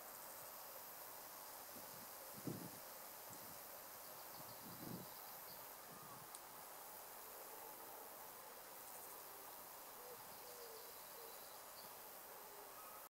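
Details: An adult female great green bush-cricket, about 5 cm long, in a wood meadow among Field Scabious flowers, keeps up a continuous, high-pitched, sizzling buzz throughout. A few soft low thumps break in near the start.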